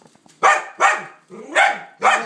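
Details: Dog barking: four loud, rough-edged barks, two close together, a brief pause, then two more, against an otherwise quiet background.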